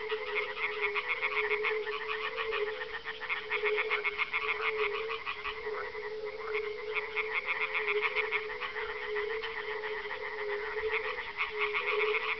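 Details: On a mild dusk, 30 May 2011, at a kettle pond near Parstein, northeast of Berlin, male European tree frogs on leaves or floating among reeds give loud, rapid, tinny 'äpp-äpp' mating calls, answering each other, audible far away.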